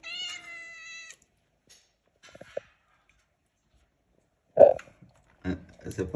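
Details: Domestic female cat begging for pancakes: a clear meow of about one second with a steady, slightly falling pitch opens the clip, followed by quiet room sounds and a woman speaking in Spanish.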